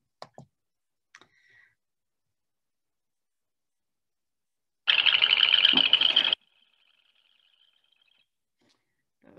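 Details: Chorus frogs calling intensely on the morning of March 5, 2021, in a field near a house in Murray give a dense, rasping pulsed trill over a second long with a thinner trailing tone; faint clicks precede it.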